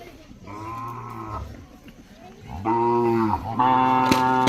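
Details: Racing bullock calves in Maharashtra, described as attractive and gentle, give three moos in quick succession: a fainter one first, then two louder, rich harmonic calls close together, with knocking sounds nearby.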